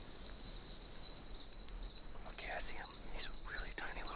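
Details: Tiny oak toads chirping from puddles in a wet wild area. Sharp, shrill peeps pulse steadily about twice per second over a dense high chorus, with a few short rustles near the end.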